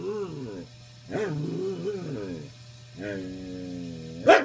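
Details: Keoki, a dog objecting to other pups on the bed, grumbles out his old-man "get off my lawn" bark: long wavering, howl-like moans in three bursts, ending in a sudden sharp burst, with a low hum underneath.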